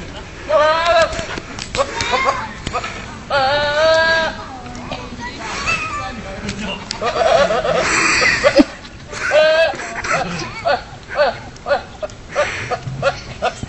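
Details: Goat screams in loud, wavering bleats with stacked harmonics, two long calls near the start then shorter bursts, mixed with human speech and laughter.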